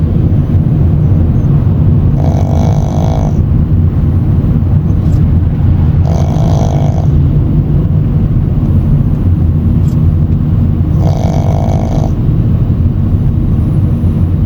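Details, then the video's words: Shih Tzu puppy sound asleep after grooming, swaying on the way home, snoring: three nasal, buzzy snore bursts about a second long, spaced roughly four to five seconds apart, over a constant low vehicle rumble. "시츄 강아지 코골이"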